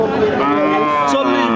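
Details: Thin cattle at the Chaugachha cattle market, Jessore district, Bangladesh, on Friday 1/3/24, with one long, steady, tonal moo holding a level pitch throughout, over market chatter.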